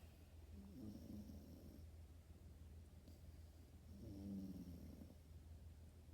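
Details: Snoozing French Bulldog puppy gives two soft, throaty snores, each a low rattling breath about a second long, separated by quiet hissing background.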